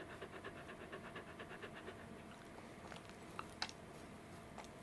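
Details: Fluffy Welsh Corgi named Roku, filmed 11 July 2019 while being petted indoors in an air-conditioned room where he still seems hot; fast rhythmic breathy panting puffs in the first half, then quieter room sounds with a few soft clicks.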